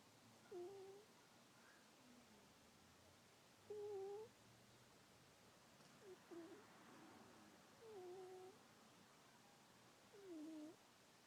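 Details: Female house cat fast asleep, giving five faint, short, mid-pitched squeaky chirps about every two to three seconds over a quiet room hiss.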